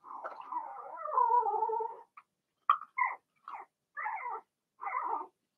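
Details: Cavalier King Charles Spaniel puppies, Blenheim colouring, from Remy's litter whelped in March, heard in their pen. A two-second wavering, nasal whine is followed by a string of short, separate yelps spaced roughly half a second apart.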